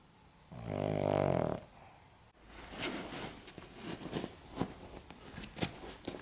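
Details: An elderly Cavalier King Charles Spaniel, 14.5 years old, gives one long, buzzy, rumbling snore, then soft snuffles and clicks.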